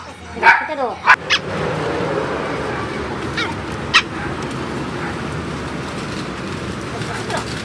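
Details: A foster rescue dog named Benny, out on a family walk, gives a couple of sharp, loud barks near the start, followed by a few fainter yips over a steady outdoor background hum.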